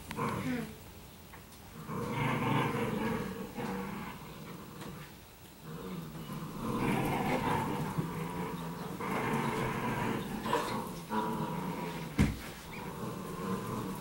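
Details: Playful growling from Italian Greyhounds, three of which romp in an empty room with a boy and a toy; throaty rumbles come in several uneven bouts separated by quieter gaps, with a sharp knock near the end.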